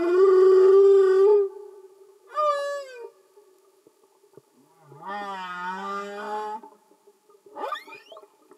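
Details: Singing humpback whales underwater, no music added: a long loud tonal moan, a short whoop falling in pitch, a rising drawn-out groan with many overtones, then a brief upswept squeal, separated by quiet gaps.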